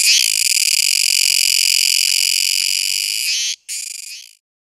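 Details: Kuroiwa tsukutsuku cicada calling: a loud, continuous high-pitched buzzing drone lasting about three and a half seconds, a brief break, then a shorter burst before it stops.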